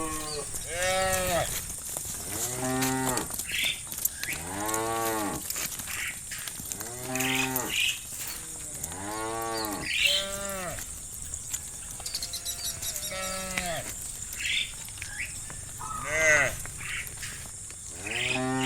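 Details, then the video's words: Pastured cows calling companions home to the barn in late afternoon: a chorus of long, bending moos, often overlapping, coming every couple of seconds, with a faint steady high hiss throughout. "Cows roaming the fields calling their friends to come home to the barn - Funny cow sounds"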